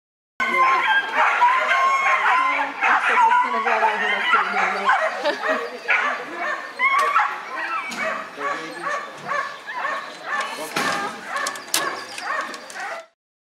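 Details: Whippets, male class 'classic', at the 39th heat of the Lednice Cup race. Sharp barks and yips repeat about once a second in a busy stretch, with people talking over them throughout.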